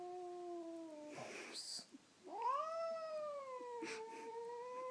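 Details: Pet cat Bamboo answering its name indoors: a steady held meow, a short break with faint clicks, then a rising, long sustained yowl with clear harmonics.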